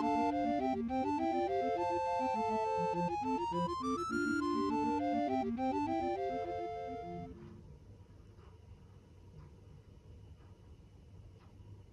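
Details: Bright keyboard melody with quick repeated notes plays for about seven seconds, then fades to a quiet low hum.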